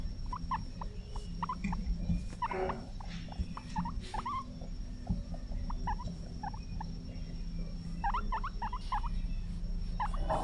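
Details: Pet guinea pig in its cage giving bursts of short, rising squeaks, clustered early on and again near the end, each chirp quick and bright, over a steady low hum.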